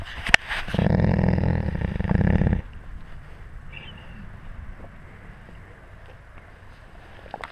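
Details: Close to a wolf pack, filmed on a GoPro at wolf level: a harsh, rough growl lasting about two seconds, followed by quiet rustling and faint ambient noise.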